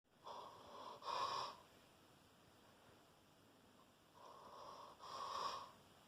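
A Rottweiler snores in its sleep, giving a raspy, wheezing rattle on each breath. Two long snores come about four seconds apart, with quiet breathing between them.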